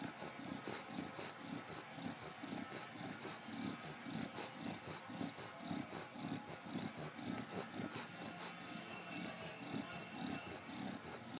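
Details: Eddie, a bulldog, drifts off to sleep with rapid rhythmic snorts. Raspy, noisy puffs come about twice per second in a steady beat, like beatboxing, with a constant hiss behind them.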